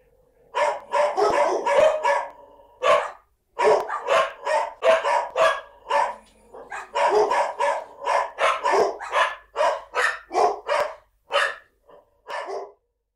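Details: Farm dog barking almost continuously: rapid runs of harsh, loud barks with brief pauses, slowing to a few spaced barks near the end. The background is quiet.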